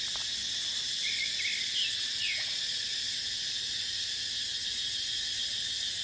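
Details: Cicada chorus in dry-season dipterocarp forest: an unbroken, shrill, hissing buzz at constant strength, with a few brief bird chirps near the two-second mark.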